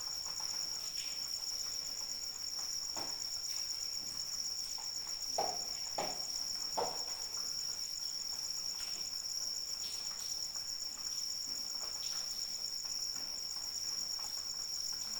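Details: A continuous shrill cricket trill, high and evenly pulsing, holds for the whole stretch during rainfall, while irregular drip and splash taps from raindrops come and go, clustering around the middle.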